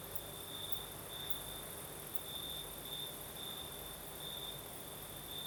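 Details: Crickets singing at night in the south of Crimea with a night breeze: a steady high trill with pulsing bright bursts, continuous throughout, over a soft broadband hiss of wind and an even higher shimmering insect band.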